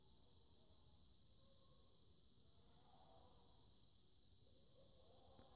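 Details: Wolves at night in Wisconsin's Chequamegon-Nicolet National Forest, 2018, under a full moon, heard far off from a cabin; faint wavering howls rise and fall in arcs every second or so, partly buried under a steady high hiss and low rumble.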